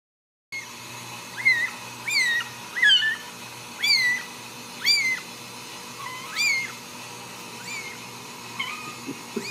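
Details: Ragdoll kitten at a home cattery in central Kansas, raised without cages, meowing for its mother: six high, thin, arching mews roughly once a second, each rising then falling, with fainter mews trailing off near the end.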